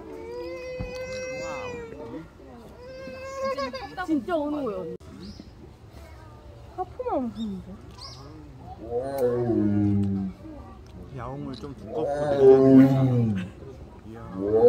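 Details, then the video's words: Tiger at Seoul Grand Park zoo, 18 November 2022, crying while exercising. Sustained musical tones open the clip, followed by broken moans and two deeper arched roars near the end. "운동하다 울고 운동하다 또 크게 운다"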